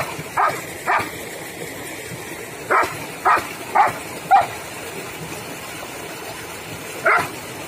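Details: Sandy, a long-coated German Shepherd pet dog in India, barks seven times in short, sharp bursts, first in quick pairs and triplets, then a pause before a final bark, with steady background hiss.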